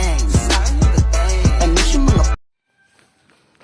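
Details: Hip hop music with rapped vocals and deep bass cuts off after about two seconds, followed by near silence; no animal sound is heard.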